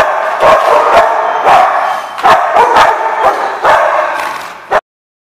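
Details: Dogs barking at The Barking Lot, dated 1/2/15: a busy, overlapping run of sharp barks and yaps that stops abruptly near the end, leaving silence.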